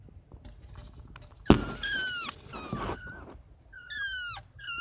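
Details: Five kittens at night giving loud, high, downward-sliding mews, two close together early on, then another pair near the end, over a soft low rumble and a sharp knock.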